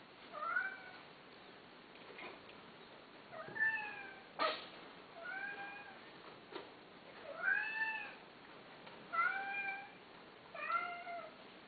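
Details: A Persian (Shirazi/Himalayan) cat gives drawn-out, arching meows about every second and a half during mating.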